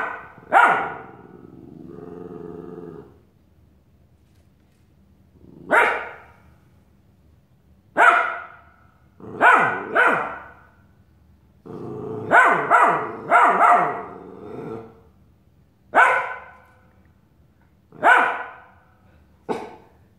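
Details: Australian Shepherd puppy Nick keeps barking at his reflection in a mirror; a long irregular series of sharp, high barks, some in quick pairs, interspersed with brief low growls and short silences.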